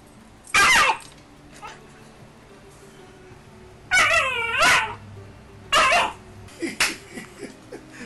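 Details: A 10-week-old Alaskan Malamute puppy named Sheru, filmed in Calgary, Canada, on 22 May 2012 while play fighting, lets out three loud, harsh yelping barks a second or two apart, one drawn out and wavering, with softer yips between.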